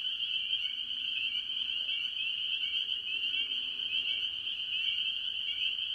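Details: Early-year farm pond chorus of mostly spring peepers among various tree frogs: countless piercing peeps blend into one continuous high shrill band, while softer lower calls flicker underneath.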